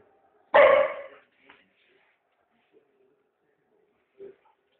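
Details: Puppy giving one loud, sharp, harmonic bark lasting under a second, followed by near silence with a few faint, brief sounds in the background.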